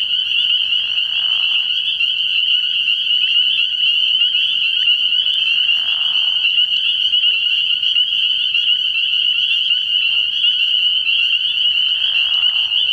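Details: Many spring peepers at a frog pond on an early-year night fill the air with continuous shrill peeps; a softer, lower trilling rises briefly three or four times beneath the steady high chorus.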